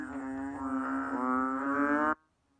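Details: Asian painted frog (banded bullfrog, Kaloula pulchra): a steady, deep, buzzy bellow held for two seconds, then cutting off abruptly into quiet.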